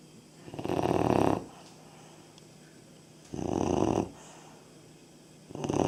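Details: Labrador puppy aged 3.5 months asleep and snoring: three coarse, buzzing breaths about a second long, arriving every two to three seconds with hushed pauses between.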